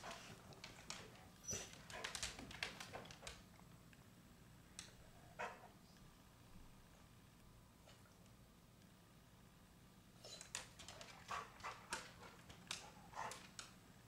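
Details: Chow Chow barking while a chipmunk peeks, provokes it and plays hide and seek; short, sharp, broadband barks come in two bursts, early and near the end, separated by a long quiet stretch with faint room noise.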